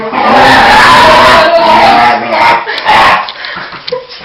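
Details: Excited pet dog before being taken out for a walk, giving a continuous loud squealing wail with wavering pitch that breaks into shorter yelps and then fades.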